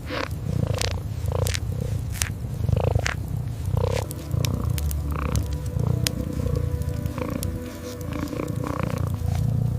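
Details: Kitten curled up asleep beside a fireplace, purring in a low, continuous pulsing rumble, with sharp crackles and pops from the fire scattered throughout.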